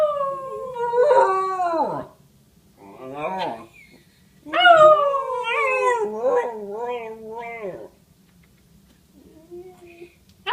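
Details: Domestic dog howling in response to a police siren, wavering falling wails in several bursts separated by pauses, with a low steady hum underneath and a person talking briefly.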